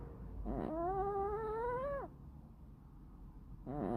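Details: Sleeping tuxedo cat snoring: a drawn-out tonal, slightly nasal whine with layered harmonics that holds steady for about one and a half seconds, then drops away. A quiet pause follows before the next breath starts, over a low indoor hum.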